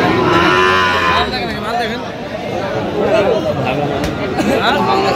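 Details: Sahiwal bull calves at a livestock market in Cox's Bazar, Bangladesh, on 8 November: a drawn-out nasal moo at the start, then market chatter and men haggling over prices.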